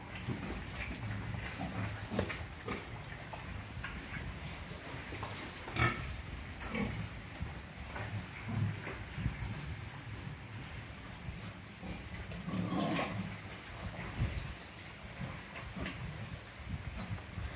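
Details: Low, rough grunts from F1 crossbred pigs intended as breeding sows in Orobó, Pernambuco, Brazil, coming irregularly with scattered clatter and knocks, plus a brief louder squeal near the middle.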